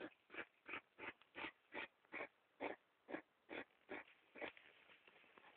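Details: Hedgehogs making disturbing noises, recorded on a mobile phone: a steady series of short, rasping, puffing bursts about every third of a second, each broad and noisy, with slight unevenness toward the end.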